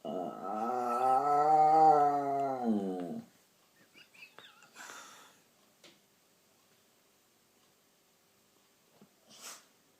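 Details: At night a pet dog makes odd sounds: a wavering, harmonic moan about three seconds long that rises then falls, followed by faint shuffling, clicks and a brief rustle.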